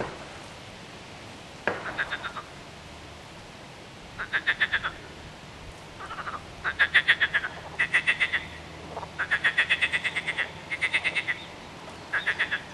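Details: Frogs calling in a series of pulsed, rattling croaks, each burst a quick train of clicks lasting about half a second, repeated in irregular bouts with short pauses between, several callers overlapping.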